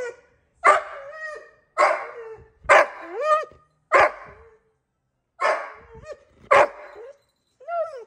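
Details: Australian Shepherd Collie mix dog whining on seeing his father on a computer screen: a series of about eight sharp yelping whines, many rising then falling in pitch, spaced about a second apart, indoors with no other sounds.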